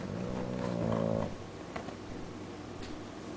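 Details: Awake bulldog snoring with one eye open, a low rattling snort with rough buzzy harmonics for about one and a half seconds, then fading into quieter breathing and faint room noise.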